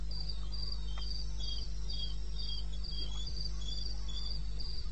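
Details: In eastern Botswana's wild bush at 02:30 in late May, a cricket keeps up a fast train of high, pulsing chirps, joined by a slightly lower second chirper, against a persistent deep background drone.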